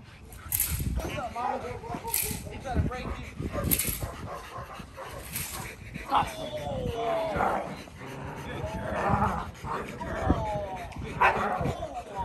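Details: Kolohe, a challenging male Rottweiler, on his first day of bite work in protection training: several sharp, loud barks in the first four seconds, then whining, wavering calls, with a person talking throughout.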